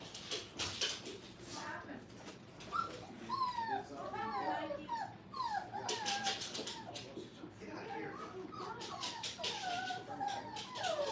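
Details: Brittany puppies, five weeks old, at play in a training kennel. A busy stream of high, thin whimpers and squeaky yips, many sliding up or down in pitch, overlaps with clattering and scuffling and faint human speech early on.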